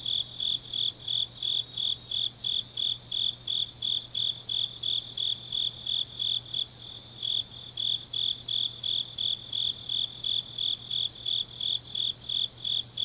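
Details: Grass insects singing on a deep autumn night in Changnyeong, South Gyeongsang, Korea: steady high chirps pulsing about three times a second, with a constant fainter high trill behind and a low steady hum.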